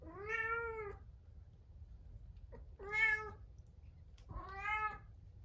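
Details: Munchkin cat kept apart in a separate room the evening before neutering, meowing sadly three times in quick succession, each call a loud, tonal, slightly wavering meow about half a second to a second long, indoors.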